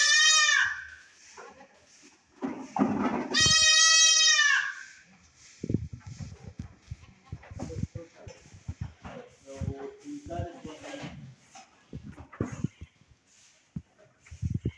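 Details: Saanen goats kept in Swat, Pakistan, give two strong quavering bleats early on, the second longer, followed by shuffling, knocking and quiet human voices.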